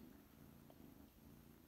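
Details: A kitten recently home from pectus excavatum surgery purrs low and unbroken, a soft fluttering rumble with an even pulse, happy and contented, sweater off, with his owner.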